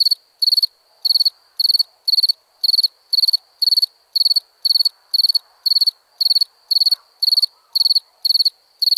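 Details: Chirping crickets at nighttime: evenly spaced, very high trilled chirps of four to five quick pulses each, repeated around twice per second in a continuous, unchanging rhythm.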